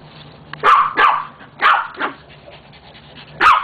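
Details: Dog barking in short, harsh bursts: two quick barks, a pause, then two more and a final bark near the end, each broadband with energy around one to two kilohertz over a low steady hum.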